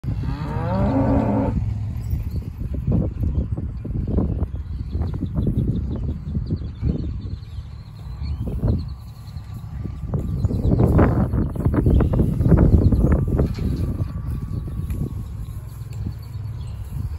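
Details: Two gentle polled Hereford heifers near Temple, Texas, recently worked with vaccines and wormer; deep low lowing and cattle shuffling fill the recording, with a steady faint hum in the background.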